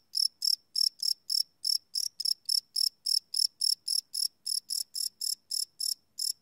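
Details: A cricket chirps at night, recorded live on a Sony PCM D100: quick, high, buzzy pulses repeat about three and a half times a second, slightly uneven in spacing, over a quiet background.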